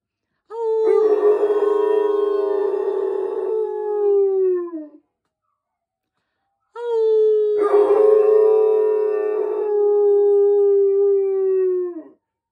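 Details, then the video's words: A Utonagan dog howls along to fire truck sirens, giving two long, sustained howls, each slowly sliding downward with a rough, wavering middle. "The Sound Of A Howling Utonagan Dog"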